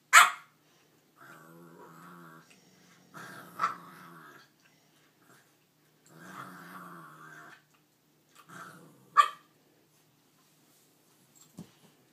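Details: Nine-week-old puppy Fred trying to steal Ruby's bone: sharp high yips open and close the scene, between them three long throaty growls a second or so each, rumbling with a buzzy edge, then a few faint soft sounds near the end.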